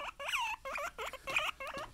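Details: Pet guinea pig indoors, calling just after its companion was taken away: a rapid series of six loud, whistled squeals, each rising then falling, spaced about a quarter second apart, with no other sounds.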